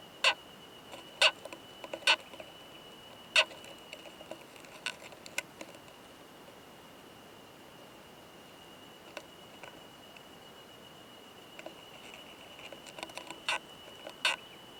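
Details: Male Oomadarakokunusuto beetle with a female during mating, found in a high-mountain pine forest, giving sharp metallic "kan kan" clicks in scattered bursts, a few loud ones early and late with quieter ticks between, over a steady faint high tone.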